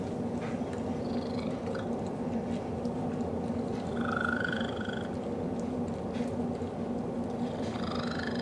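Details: A very strange purr from Cecil, a cat snuggled up with Betty the dog. A continuous low rumble runs throughout, and short, high, chirping trills rise over it near the start and middle.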